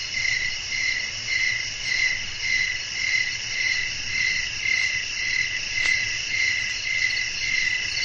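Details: Evening nature atmosphere for sleep with crickets calling. A steady high ringing chirp throbs regularly about twice each second, a single faint click near the end, and a gentle low background rumble.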